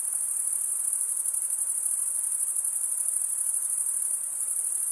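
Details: High, sustained cricket trill from wing stridulation, with a fast shimmering pulse of roughly ninety beats a minute woven through the continuous ringing tone. Light background hiss, nothing else.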